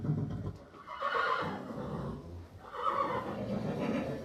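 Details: Two hoarse, moaning horse neighs about two seconds apart, each breathy and rough-edged, in a close, reverberant setting.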